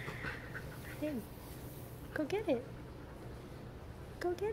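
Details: Labrador Retriever named Piper, a pet in Miami, with a new toy: high, bending whines come in three short bursts, rising and falling, while a person speaks softly to reassure her.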